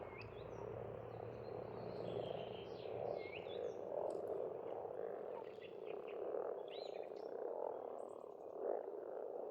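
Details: Spring chorus of frogs at a pond on an Estonian farmstead: thick overlapping croaks swelling in rhythmic bursts, while birds sing short whistled and chirping phrases above, and a low hum fades early.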